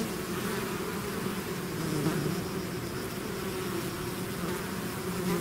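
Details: Swarm of bees leaving their hive, heard as an unbroken low hum layered from countless wingbeats, even in loudness throughout with slight waverings in pitch.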